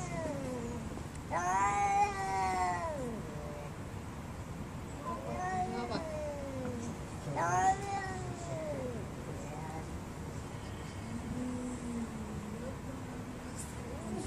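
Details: Fighting cats caterwaul: two loud, long, arching yowls rich in harmonics, around two and seven seconds, with quieter drawn-out moans in between and at the end.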